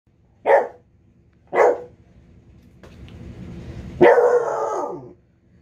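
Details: A Basset Hound gives two short gruff barks, then a drawn-out, falling baying howl of protest, an angry howl after being told no.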